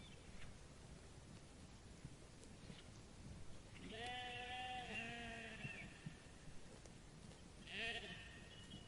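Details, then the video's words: Grazing sheep in a meadow; after quiet rustling, one long trembling bleat lasting about two seconds, then a shorter bleat near the end, over steady low background noise. "The relaxing sound of sheep bleating and eating grass in the meadow"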